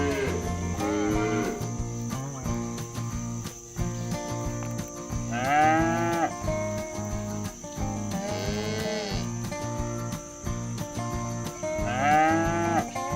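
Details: Free-ranging cattle being driven toward a livestock pen, calling companions back to the barn. Three drawn-out moos, each bowing up and down in pitch, come several seconds apart against continuous background music with a pulsing low beat.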